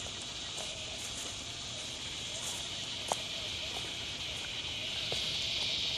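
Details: A chorus of northern dusk-singing cicadas (Tibicen auletes) at dusk in Lakewood, New Jersey, on July 28, 2009, gives a steady, high, hissing drone that swells toward the end.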